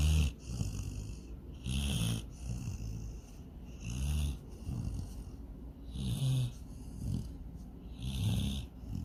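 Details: Sydney, a dog dreaming of chasing a rabbit and swimming in the lake, snores steadily. Deep, rasping inhalations come roughly every two seconds, each followed by a soft breathy exhale, in a quiet room.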